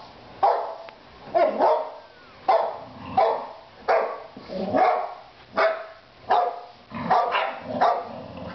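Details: Boxer dogs, three kept as pets, bark in loud separate bursts spaced about a second apart, each harsh and mid-pitched with a rough, slightly whining edge, irregular in timing against a quiet background.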